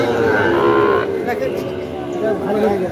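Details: Sahiwal cattle, fattened bulls and calves, at Ambari cattle market in Dinajpur on 18 September 2023: one deep harmonic moo held for about a second, then fading, over a steady hum of market chatter.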